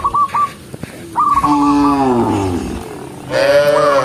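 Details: A tame cow walking through a green forest gives drawn-out, harmonic moos that dip and rise, with brief higher calls between them.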